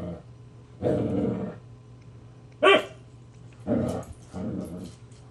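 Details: Irritated Husky Siku warns off playful puppy Loki with low throaty growls in separate bursts, one sharp high yelp-like snap in the middle, then two further grumbling growls.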